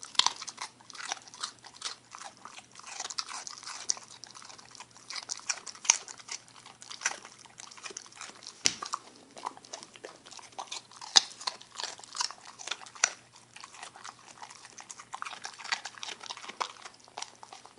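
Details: Puppy eating a baby carrot indoors, with irregular crisp crunches and wet chewing bites throughout, some louder snaps standing out against a quiet room.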